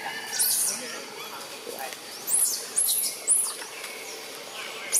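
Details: Young macaque Jixn crying in a tantrum after his mother Jade refuses him milk, Siem Reap Province: piercing, very high screams that arch up and fall, three close together near the middle, over a quiet background hum.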